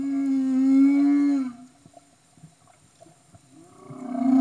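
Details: Humpback whale recorded underwater in Tonga in 2015: a loud, sustained tonal moan with rich harmonics, steady then slightly falling, for about one and a half seconds, followed by quiet clicks and a rising call starting near the end.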